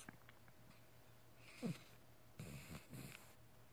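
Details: Sleeping dog Elsa, dreaming: a faint squeak and then two low, breathy snoring exhalations close together, with a steady low hum in the background of a quiet indoor room.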